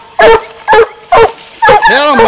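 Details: Black and Tan Coonhound giving loud, hoarse barks spaced about half a second apart, the last one stretching into a longer wavering bawl with bending tones.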